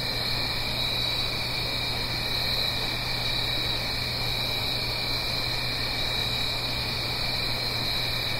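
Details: Crickets singing on an autumn night in the Blue Ridge Mountains, uphill from a stream: a steady, unbroken high trilling chorus in layered bands, over a soft rushing hiss of flowing water and a faint low hum.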